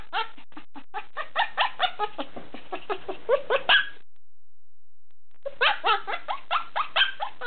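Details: Yelping Bernese Mountain Dog puppy, a rapid string of short piercing yips with some whiny downward-bending cries, broken by a silent gap of about a second and a half before the yapping resumes.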